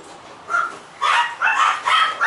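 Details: White female Toy Poodle giving a run of four high, sharp yapping barks, each about half a second long and roughly half a second apart. The first bark is softer than the rest, and the background is quiet.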